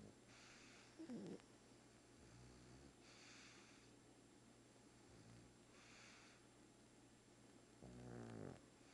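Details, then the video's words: Sleeping pug snoring loudly, with breathy rasping bursts repeating about every three seconds and two louder snorting grunts near the start and end, over a steady quiet indoor hiss. "Pug Snores Like a Freight Train"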